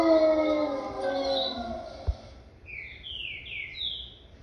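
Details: Wolf: a long howl slowly sinking in pitch over two seconds, followed by a series of four high, quick, downward-slurred yelps.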